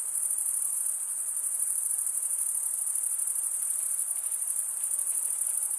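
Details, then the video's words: Chirping crickets, males stridulating with serrated wing veins, give a piercing high trill with a faint pulsing of roughly three beats a second under an otherwise even, uninterrupted chorus. "Most relaxing cricket sound for 8 hours"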